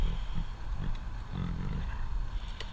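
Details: A tiger, given a treat for being good, gives an unexpectedly loud, deep, blunt roar in a few low, rumbling bursts.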